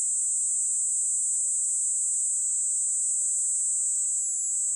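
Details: Kaempfer cicada (niinii-zemi, Platypleura kaempferi), modulated song: a steady, very high, hissing drone held without a break, with a faint pitch sweep rising then falling in the second half; no other sounds.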